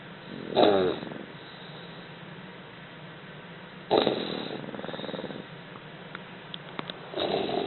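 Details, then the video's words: Two English Bulldog puppies snoring during a nap, with rough, rattling breaths about every three seconds. "English Bulldog Puppies Snoring"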